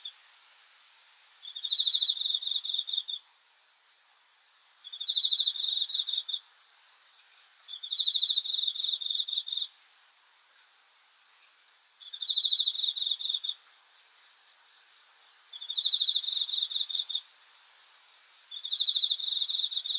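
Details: Cricket calling at night in six evenly spaced, shrill pulsed bursts of about one and a half seconds, repeating roughly every three and a half seconds over a steady background hiss.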